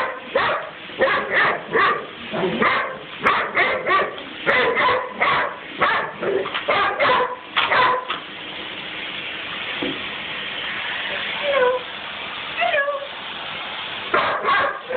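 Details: A Weimaraner barks in rapid, sharp bursts, then keeps barking at a running vacuum cleaner's steady roar, which she has a love-hate relationship with.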